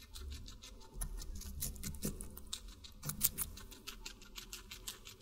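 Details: Guinea pig munching watermelon, a quiet run of fast, crisp clicking chews with sharper moist snaps now and then over a faint low hum.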